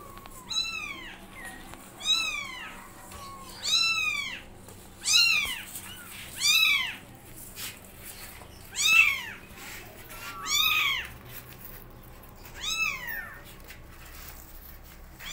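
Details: Kittens learning to walk beside their mother cat, meowing loudly: high arched mews with rich harmonics, repeated about every one to two seconds in overlapping bursts, several voices calling over a faint background hum.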